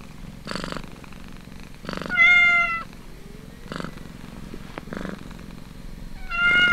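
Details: Suckling kitten feeding from its mother, purring in rhythmic pulsing bursts about every one and a half seconds. Two louder, steady high mews break in, each lasting under a second, over a quiet indoor background.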